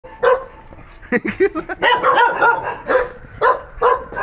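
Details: Free-roaming dogs belonging to an uncle bark in short, harmonic bursts. Several barks come in quick clusters and a few stand alone, with people talking in the background between them.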